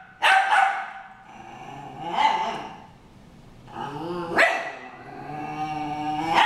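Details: In a brawl between dogs Harry and Ferris, loud barks burst out roughly every two seconds, separated by lower growling and snarling with wavering tone.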